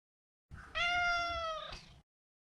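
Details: One sustained, level meow lasting about a second from a neutered male Maine Coon house cat, rising briefly at the start and ending with a short upward flick.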